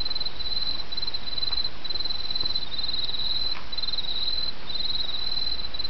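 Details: Autumn insects calling over a babbling stream: high, steady ringing trills in long bursts with short gaps, carried over a constant broad rush of flowing water.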